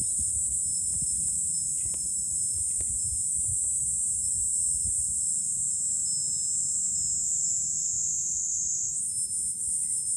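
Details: July cicada chorus recorded from a hilltop with a view over Fukuoka city, Japan: a steady, piercing high buzz holding throughout, shifting slightly higher near the end, over soft low wind noise.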